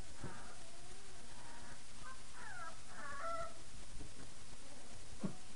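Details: Five-week-old puppies of a litter called the Fab11 at night-time play after their evening feeding, giving a few short, wavering high whines and yips, with soft rustling and thumps from the play around them.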